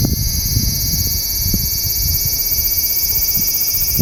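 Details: Hidden below a branch of a loquat tree, a large brown cicada sings a continuous, intense, hissing buzz with steady pitch and volume, with faint low-pitched rumble underneath.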